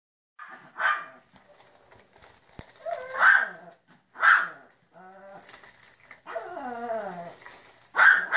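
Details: Puppies at breakfast, several voices: sharp high yaps at about one, three, four and eight seconds, with wavering whines and falling whimpers in between, irregular and overlapping.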